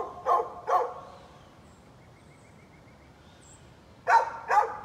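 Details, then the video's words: Neighbour's dog let out and barking, 13 November 2020: a pair of sharp barks, about three seconds of quiet, then another loud pair. "Neighbor's barking dog"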